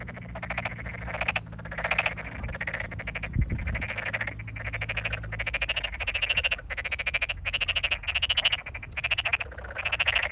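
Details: In a rice field just flooded, May 8, 2022, in the satoyama countryside, a Tokyo Daruma pond frog chorus sounds with some frogs close by. Evenly spaced pulsed, grating croaks repeat roughly twice a second, one brief thump midway.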